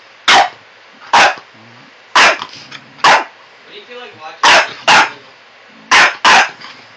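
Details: A French Bulldog puppy, Miles, barks in sharp, bright yaps, some in quick pairs, bothering an old Cocker Spaniel named Abbey. The barking lasted over an hour until Abbey finally took a stand.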